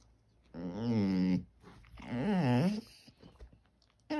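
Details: Sugar, a white Basset Hound, vocalizing for attention indoors: two low, wavering moans of about a second each, bending up and down in pitch, separated by a short quiet gap, with a brief final call starting at the end.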